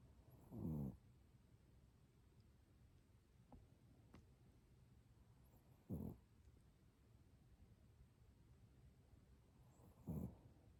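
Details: Sleeping Chihuahua snoring: three short, low, rasping snores, each under a second long and about four to five seconds apart, with quiet breathing between them in an otherwise still room.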